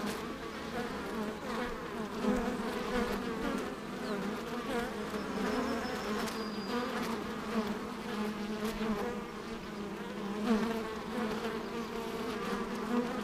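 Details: Continuous droning hum of many honey bees busy at an apiary, an even, dense buzz with overlapping tones and faint brief clicks, steady in loudness over the whole stretch.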